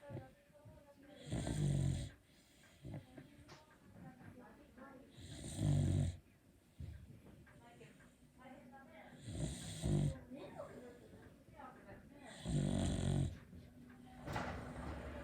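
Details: Sound asleep, a Beagle snores loudly: four low, rumbling, raspy snores about every four seconds, each swelling and fading, with soft breathing noises in the pauses.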